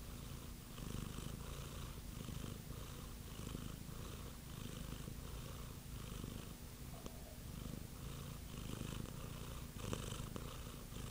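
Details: Steady purr from a house cat, deep rumbling vibration rising and falling with each breath about once a second, recorded up close with faint rustling near the end.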